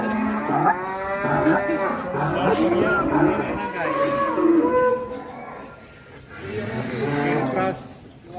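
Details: Cattle mooing in a busy, overlapping chorus of rich harmonic lows, some wavering and some sliding down in pitch, fading near the end; light background voices.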